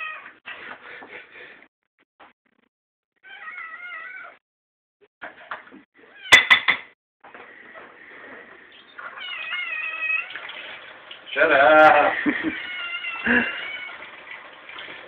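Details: Kiwi the kitten, too impatient to wait for his meal at feeding time, meows repeatedly in short wavering bursts with brief pauses, some calls louder and more strained, with occasional clatter and a man's voice.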